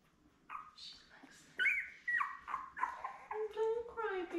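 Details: A litter of seven newborn Labrador Retriever puppies, born May 24, 2021, with mother Belle on a live puppy cam; a run of wavering, high whines and squeals overlaps, with one lower, drawn-out moan close to the finish.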